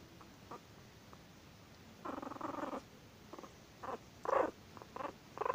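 An angry Chihuahua gives short, rough growling and snarling bursts in a low-to-mid register.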